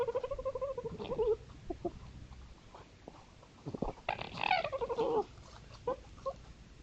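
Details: Night trail-camera recording of red foxes on a woodland edge among East Sussex fields, playing or fighting: a wavering crying whine, scattered clicks, then a harsher bursting squeal sliding downward, later a short yelp.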